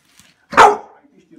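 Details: Eight-month-old American Bully puppy tearing apart a teddy bear birthday present gives one loud, sharp bark, and a person's voice is heard around it.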